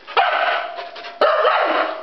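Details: Iris, a Siberian Husky left behind when others went to PetSmart, voices two drawn-out wavering whine-howls with dipping pitch, indoors, a person briefly heard nearby.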